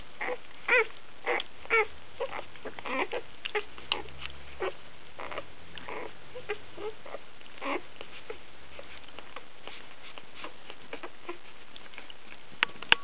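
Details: Basenji puppies at one week old while feeding on milk, with scattered short squeaks and faint whimpers, more frequent early then thinning out, over a low steady background hum.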